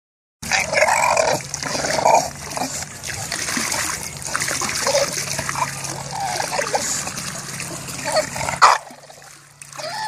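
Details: An English bulldog that fell into a hot tub and cannot get out grumbles and whines in short bursts as he swims around, over steady splashing water and a low motor hum.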